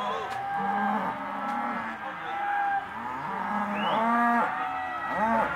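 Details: Auction lot of Hereford and black-baldy cows lowing: drawn-out moos from several animals, one ending in a sharp upward squeal, with faint background noise.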